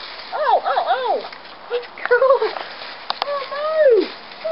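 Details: Scottish Terrier puppies at ten weeks old give bursts of rising-and-falling whimpers, some doubled, others drawn out and sinking at the end, with brief quiet gaps and faint background murmur.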